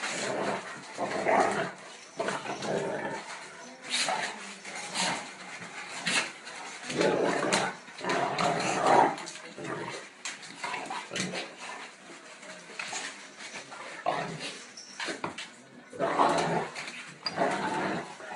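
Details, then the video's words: Two Tosa dogs in the Netherlands in their daily reaffirmation of status: bursts of rough growling and snarling, rising and falling in irregular waves, with short pauses between scuffles. "Tosa NELSON and POEMA - daily reaffirmation of their status"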